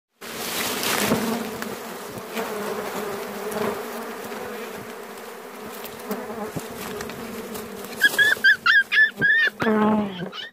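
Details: Bees in a forest while wild honey is being collected: a steady low droning hum throughout, with a few short bird-like chirps near the end.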